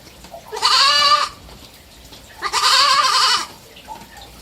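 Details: Three-month-old pet baby goat letting out two drawn-out, quavering bleats, the second longer at about a second, rich and nasal in tone, with a small faint sound afterward.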